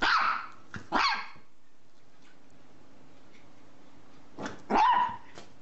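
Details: Domestic dog barking indoors: two sharp harmonic barks near the start, a long quiet gap with low room hum, then a softer lead-in and two more loud barks near the end.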